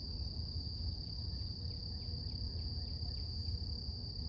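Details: Cicadas singing at dawn: an even, piercing high drone that never pauses, with a series of small falling chirps from birds and a steady low rumble behind.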